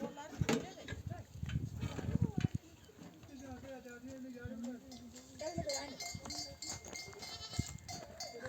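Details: Flock of sheep returning from desert pasture to a nomadic camp, mothers bleating to call their lambs to nurse; several wavering bleats overlap with human voices, footsteps and rustling in the background.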